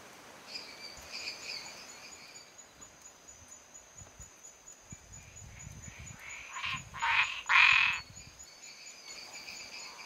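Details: Male Boana multifasciata in Viçosa do Ceará, Brazil, switching from calm singing to a territorial call with small paw movements on seeing another male nearby: three loud, harsh, broadband bursts in quick succession late on, over softer pulsed chirps of Dendropsophus minutus.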